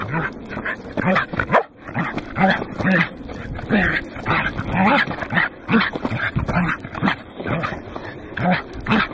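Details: On Mt. Oyama's summit, 27 October 2009, Goro the Welsh corgi barks loudly and persistently, sharp yaps a little faster than two per second with one brief pause, recorded with a Casio Exilim EX-F1.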